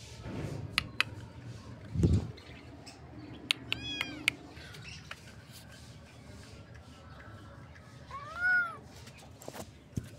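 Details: Kitten meows: a cluster of short, bending meows in the middle, then a louder drawn-out meow near the end, with a dull thump and scattered clicks around them.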